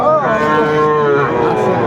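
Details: Sahiwal bull calves at a Sylhet cattle market on 29 June 2024: a drawn-out, harmonic-rich lowing moo that starts with a short rising bend, then holds steady and slowly sinks, filling the whole two seconds over faint market murmur.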